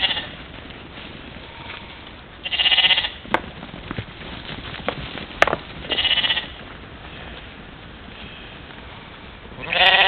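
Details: European mouflon herd at a waterhole on a July morning, 13 July 2018, Czempiń forestry district, Wielkopolska, Poland, recorded by trail camera during play; three loud nasal bleats at intervals, with scattered clicks and rustle between.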